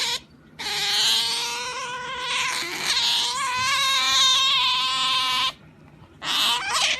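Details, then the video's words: Pet otter making a funny noise while being pampered: loud, high, harmonic squealing whine held for several seconds with wavering pitch, a short quieter pause, then a brief renewed squeal. "Otter Genki makes funny noise"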